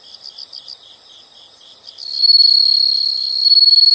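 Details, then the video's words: Insect sounds from nature: soft pulsed chirps in quick groups, then after two seconds a loud steady high-pitched trill takes over and holds to the end. "the sound of insects"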